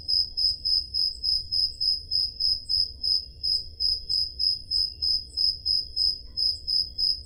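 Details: On a summer night in Greece's Peloponnese, crickets keep up an even, shrill chirping rhythm, around 200 pulses a minute, recorded with a Zoom H5; a quiet low murmur lies beneath.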